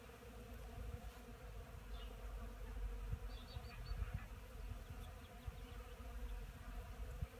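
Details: Apiary honey bees working pollen on a 10 March morning; a dense low-pitched buzzing swarm sound rises and falls continuously, with brief faint higher chirps near the middle.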